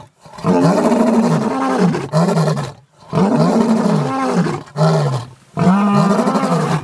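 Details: Mapogo lions roaring in the bushveld, audible about 8 kilometres away: rolling, harmonic moans in four bursts, each roughly one to two seconds long, coming about every two seconds.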